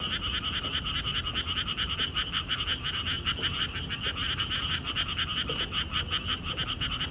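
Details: Frogs calling beside a walking path: a dense, unbroken chorus of fast pulsing, trilled croaks at a fairly high pitch, many voices overlapping with no pauses, over a low background rumble.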